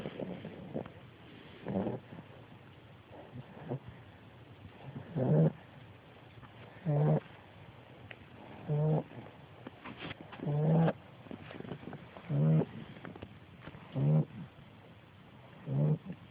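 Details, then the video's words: Ten-week-old female American Bulldog puppy snoring in her sleep; rough, low rasping snores repeat steadily about every one and a half to two seconds, with softer breathing noise between. "Calypso Snoring"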